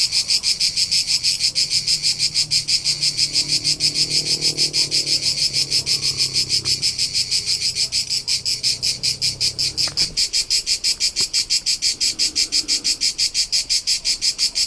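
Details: Continuous cricket chorus recorded on a summer trip through Tuscany's hills in central Italy, bright buzzy pulses about three per second, a low rumble fading out midway and a few faint clicks.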